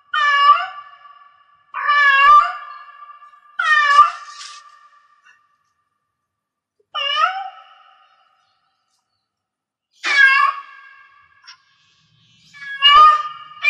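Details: Six meows spaced unevenly from a cat in heat, some short and clipped, others stretched into wavering cries, separated by silent pauses of several seconds.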